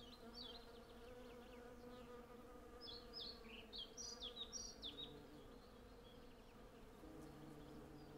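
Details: Swarm of hundreds of honey bees working a blossoming cherry tree, with a constant layered buzzing drone; scattered high, quick birdsong phrases rise above it mid-way. Stereo field recording on Zoom F6 with Sennheiser MKH 8040 microphones.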